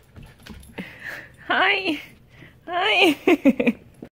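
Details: Snow, a husky puppy, reacting to a lemon indoors: two drawn-out, wavering, whiny howl-like cries that rise and fall in pitch, followed by a quick run of short, sharp yelps near the end; faint background rustling.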